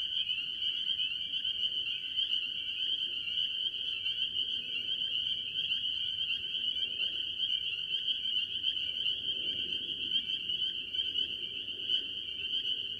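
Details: Mostly spring peepers among various tree frogs at a farm pond, recorded early in the year: a dense, shrill peeping chorus holding steady, with a soft low rumble beneath that swells in places.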